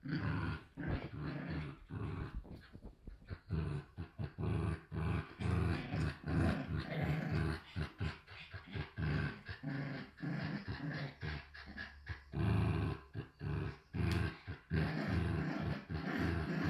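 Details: Two Shiba Inu puppies from a Dutch Shiba and Samoyed breeder growl continuously like little motors, a dense low rumble broken into many short pulses throughout, filling the room.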